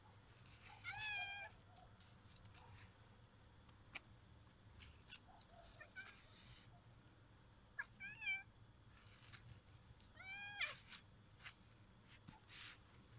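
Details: Annoyed domestic cat indoors in a small room, with a Chinese crested dog present, giving about four drawn-out, wavering meows that rise then fall, spaced several seconds apart, with soft scuffing and clicking handling noises in between.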